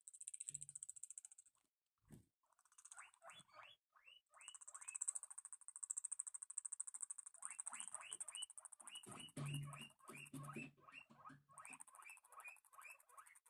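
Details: Guinea pigs eating, a meal that turns sour: rapid rising squeaks repeat several times a second in long runs over a steady crunching hiss, with brief low hums and a couple of thuds.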